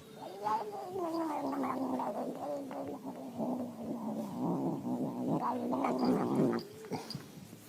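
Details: House cat yelling at its human in a long, low, wavering yowl that lasts about seven seconds, grumbling and warbling in pitch with rough, throaty pulses throughout before it suddenly stops.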